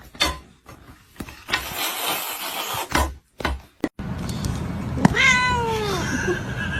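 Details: A domestic cat in a funny cat compilation gives one clear meow that rises and then slides down. It follows a few seconds of scattered thumps and clatter, with a steady low background hum throughout.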